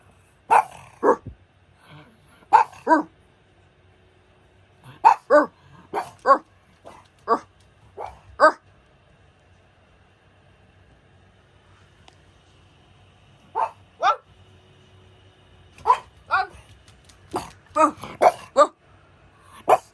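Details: Pug barking in clusters of two to four quick yaps, pausing several seconds between bursts, then a rapid flurry near the end; faint steady hum underneath.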